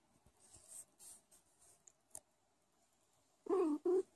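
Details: A tiny Sphynx kitten, born weighing 50 g and hand-nursed day and night, gives two short, soft squeaky calls near the end, after faint rustling and handling noises indoors.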